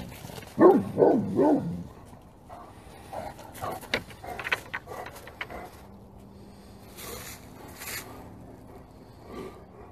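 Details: Great Pyrenees dogs barking all together at full force: a quick run of three or four loud, deep, harmonic barks in the first two seconds, followed by quieter scattered knocks and clicks and a faint low hum.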